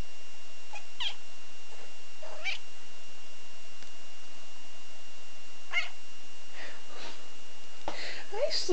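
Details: Ozzy, a pet cat, waking up, yawning and stretching on Dec. 18, 2011, gives several short, squeaky meows that rise and fall at uneven intervals, with a person speaking softly nearby.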